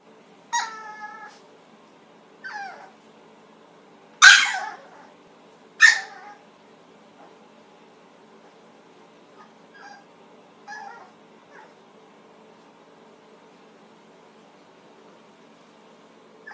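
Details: Female Chihuahua, angry about wearing her first clothes and trying to get them off, gives four loud, sharp, harmonic yelping barks in the first six seconds, then several fainter whining yelps against a quiet background.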